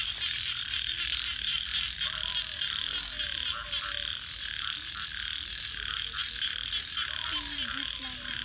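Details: A night chorus of frogs by a campfire: shrill overlapping trills pulse quickly and steadily, while faint wavering low tones and a few sharp clicks sit underneath.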